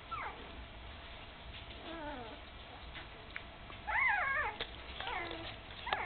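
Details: Candy's puppies, almost three weeks old, newly open-eyed and wobbling as they start walking, give clear harmonic whimpers that rise then slide down, a louder cluster near the middle, with faint rustling behind.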